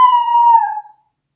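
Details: Pet dog howling on command during training; one steady sustained howl lasting about a second that fades out, then silence.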